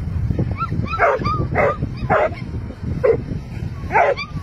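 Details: Dogs fighting: a rapid string of sharp, tonal yelps and barks, about five loud bursts in quick succession with rising whiny squeals between them, over a rough low rumble of scuffling.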